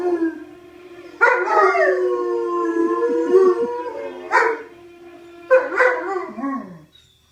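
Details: English Mastiffs howling, drawn-out tonal howls that start loud and slowly fall in pitch, renewed in bursts around every few seconds, ending with a short downward slide.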